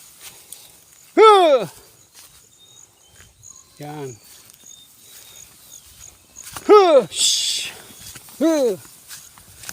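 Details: Goats belonging to their keeper graze on grass in a rural pasture while being herded; four separate arched bleats spaced across the stretch, one lower and rougher, with soft human talk and outdoor background between them.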